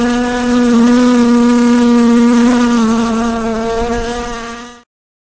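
A fly buzzes in a steady, droning hum with a slight wavering pitch.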